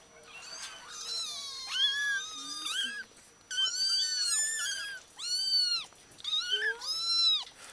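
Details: Newborn kittens, one day old, in Bulgaria crying loudly, long shrill arched meows in several overlapping bursts separated by brief pauses, strong and clear over a quiet background.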